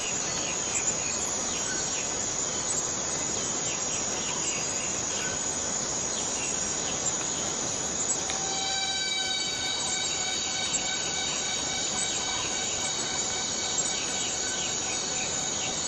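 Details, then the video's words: Borneo rainforest cicada giving a steady, high, hissing drone; about halfway through a clear, sustained whine with layered overtones rises above the buzz and holds to the end, over a dense background of forest insects. "Borneo Rain Forest Cicada - Cicada sound - cicada noise"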